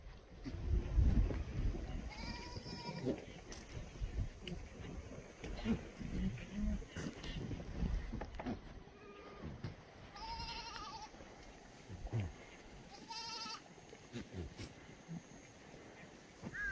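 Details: Free-range black goats in the exercise yard of a farm on the slopes of Muchuksan, Yeocha-ri, Sangdong-myeon, Gimhae, South Gyeongsang, Korea, on a clear Tuesday morning, 7 July 2020; three wavering, nasal bleats spaced apart over steady low thumping and rustling.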